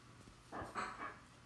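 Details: Bori, a four-year-old female Bichon Frise kept as a pet, indoors near chair legs, gives two short whiny, moaning vocalizations, the second longer and more drawn out, against a quiet room with a low steady hum.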